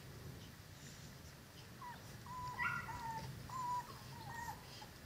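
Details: Five-week-old Cane Corso puppies from the Zola and Ziko litter, indoors, give thin high whines: a run of drawn-out, wavering squeals, some bending up or down in pitch, over a low steady hum.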